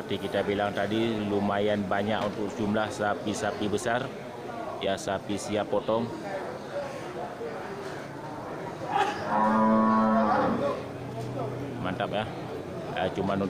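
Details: Crowded Geurugok livestock market, 29 March 2022, full of big local cattle ahead of Ramadan; busy chatter and voices fill the scene before one strong, sustained moo breaks through about two thirds of the way in.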